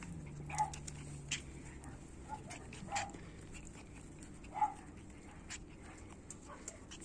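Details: Puppies of Orlanda's and Lana's two litters: three short, sharp yelps sound at spaced intervals, roughly two seconds apart, over a low background hum and faint scuffling.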